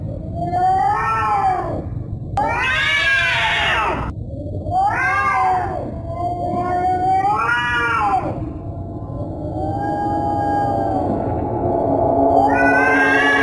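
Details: Cat giving scary, drawn-out wailing meows, each rising then falling in a harmonic arch, about five of them in a row. The last one climbs steadily higher at the end, over a low background hum.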